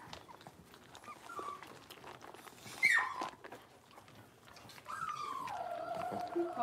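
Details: Blenheim Cavalier King Charles Spaniel puppies, a litter of five born at New Year's, playing in an indoor puppy pen. A sharp high yelp comes near the third second, then a long whine that slides down and holds a steady pitch. Soft voices murmur behind.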